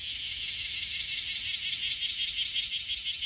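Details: An Okinawan bear cicada that calls often gives a harsh, high, rasping buzz broken into quick regular pulses, several each second, swelling slightly in loudness toward the end.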